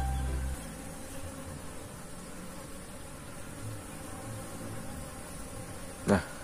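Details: Many Asian honey bees (Apis cerana) foraging for nectar and pollen on calliandra flowers planted near their hives make a steady, low, droning hum together.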